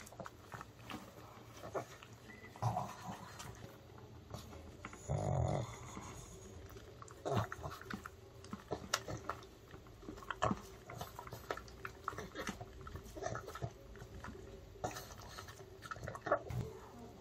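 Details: Ttungi, a male pug born in September 2015, eats homemade dog-safe chicken as an early-summer treat indoors: a steady run of short, crisp crunching and chewing clicks, with a few louder smacking bursts and quiet room background.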